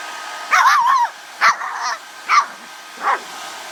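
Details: Pet dog flipping out and barking at a hair blow dryer while its hair is dried; four sharp, high yelping barks, the first drawn out and wavering, spaced under a second apart over the dryer's steady whooshing hum.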